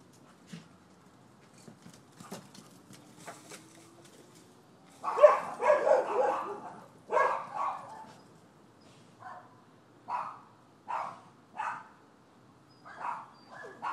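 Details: Neighbors' dogs at a Florida property, recorded 7 December 2015 as a nuisance complaint: quiet at first with faint clicks, then a loud burst of harsh barks from about five seconds, followed by shorter barks spaced roughly a second apart.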